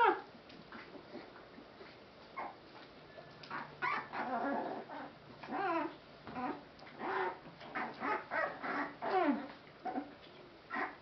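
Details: Rescued Boston Terrier/Pit Bull mix puppies whimpering softly indoors: thin, bending whines and small squeaks in uneven bursts, with a faint low hum underneath.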